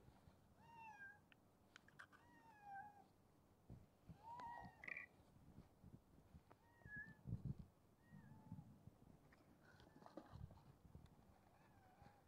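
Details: Ginger street cat at a midnight feeding gives a string of meows, some falling and some rising, spaced every second or two, amid low rumbling background noise, knocks and scattered clattering.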